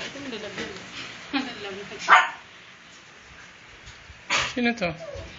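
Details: Puppies at a kennel during milk time, February 24, 2014: rising and falling whimpers at the start, a loud clatter mid-clip, then a burst of quick high yelps.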